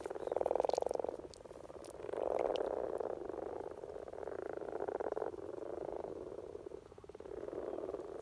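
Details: In spring in Norway, common frogs at peak courtship give low purring croaks, rapid pulsed rattles in overlapping bouts of about a second, the loudest near the start and middle.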